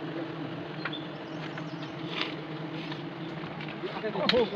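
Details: Honey bees at a hive being harvested the traditional way in Nagaland; a steady, low droning hum fills the whole recording, with faint clicks and knocks, and a human voice breaks in near the end.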